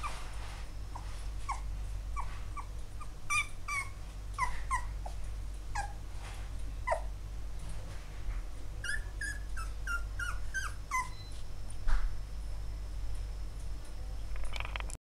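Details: Field-type Labrador Retriever puppies born September 2014 rest in a basket in an office, likely getting hungry. They give short, high, squeaky whimpers, several in quick succession, over a steady low hum.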